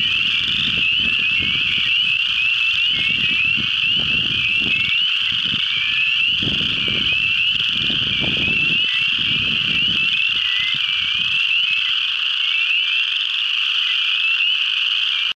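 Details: Spring peeper (Pseudacris crucifer), chorus calls.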